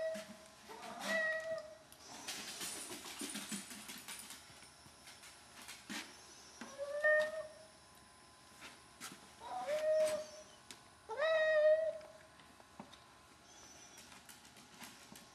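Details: A 12-year-old male Hemingway cat begs for wet food at a gate, standing on his hind legs, with four short, funny meows spaced a few seconds apart among scuffling and rustling noises.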